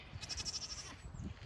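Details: On a South Carolina homestead, young female goats give wavering, nasal bleats as they are about to be fed, with cows audible in the background.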